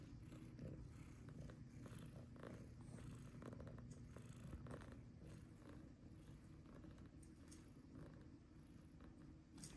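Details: Tabby cat purring while playing: a steady, low, rumbling purr running throughout, faint and continuous, with light rustling and soft clicks of play above it.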